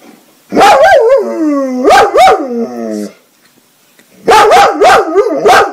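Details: Pet dog giving loud, high yelping barks with arched, rising-then-falling tones, in three quick bursts of several calls each, separated by short pauses.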